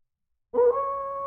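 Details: Siberian husky puppy, one of seven-week-old litter from Dixie at a sled dog kennel in the Sierra Nevada forest near North Lake Tahoe, California; a single sustained tonal howl-like whine, steady and even, beginning abruptly after silence.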